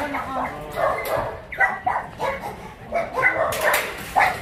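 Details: Dogs at the Yangsan abandoned dog shelter in South Korea, during an operation to catch a biting dog: short, harsh barks repeated roughly every half second, overlapping with human voices.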